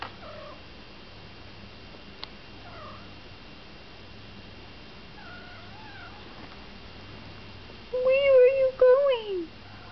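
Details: Polydactyl calico kitten, female, adopted from a rescue, walking around indoors making unusual squeaky, whiny noises instead of a normal meow: faint short squeaks early, then a louder wavering, harmonic whine near the end, with a woman speaking softly to her.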